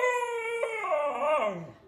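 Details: Pet dog howling indoors, a steady tone that breaks into a wavering, yodel-like rise and fall before fading.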